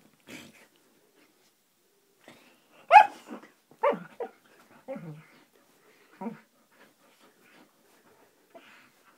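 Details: Siberian husky named Roxy at play, giving short scattered yelps and groaning, howl-like bursts with falling pitch, a few rising and falling, separated by quiet gaps.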